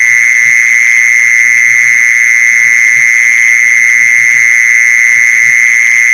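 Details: Mole cricket calling, a sound meant to draw mole crickets in: a constant loud buzzing trill at an unchanging high pitch, never stopping, with light low thuds scattered underneath.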